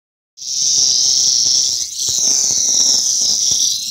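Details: Lyric cicada (Neotibicen lyricen), a found individual that was later released. The loud, steady, high-pitched buzz starts abruptly after a brief silence and holds on with one short dip in volume near the middle.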